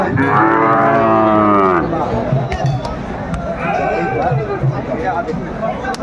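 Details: Sahiwal bull calf at a cattle market in Kurigram, Bangladesh, on 22 March 2025: a long, drawn-out harmonic moo for almost two seconds, then crowd chatter and men talking.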